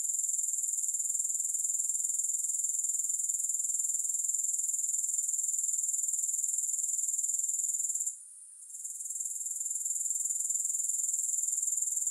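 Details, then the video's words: A continuous high-pitched insect trill from grasshoppers, with a fast regular pulse of about four beats per second. A short silent gap near the eighth second is followed by a gradual return to full strength. "Grass Hopper Sounds"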